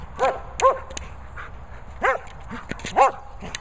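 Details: Playing with her boomer ball, the German Shepherd Lucy lets out four short barks in quick sequence, some paired closely, with faint thuds and shuffling noises in between.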